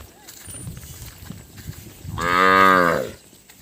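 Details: Calf bawling because it cannot find its mother, Thailand: one loud, rich harmonic moo of about a second, swelling then fading, after quiet rustling background.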